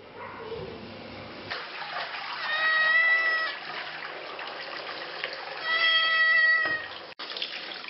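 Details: Domestic cat with fleas being washed under running water gives two drawn-out, level meows about three seconds apart, each lasting about a second, over steady splashing from a tap.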